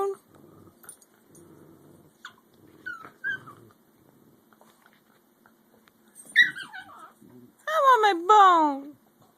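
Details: American Eskimo dogs, a 5-month-old puppy and an adult, indoors, squabbling over a bone: soft low grumbles, then a rising whine and a loud wavering, descending yodel-like 'talking' howl near the end, with a person speaking quietly earlier.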